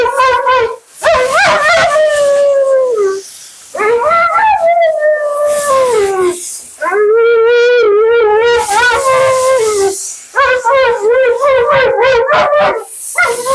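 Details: Vocal Siberian Husky named Mila complaining through bath and grooming: a run of rising and falling, warbling howl-moans, some long and sliding, others quick and wobbly, nearly continuous with brief breaks, over a faint rushing background.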